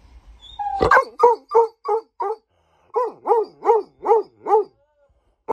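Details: Weimaraner giving a run of about eleven arched, yodel-like woo calls, roughly three per second, with a short pause midway. A sharp start and a click at the end.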